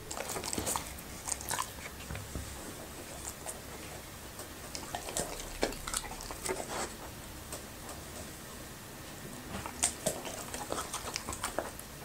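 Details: Happy, a Labrador retriever, eating okra and raw meat indoors in a small room: a steady run of crisp bites and wet crunching chews, with short pauses between bursts of chewing.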